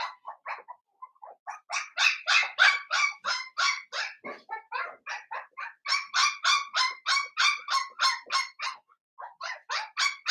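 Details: Seven-week-old blenheim Cavalier King Charles Spaniel puppies from a litter of five in a home puppy pen. They give shrill, high-pitched yaps in quick runs of about three sharp barks a second, with brief pauses between bursts.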